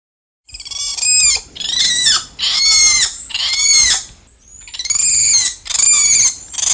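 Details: Spider monkeys in the treetops give loud, shrill, strongly harmonic screeching cries, each lasting about a second with a wavering, bending pitch, delivered in close succession with short gaps between.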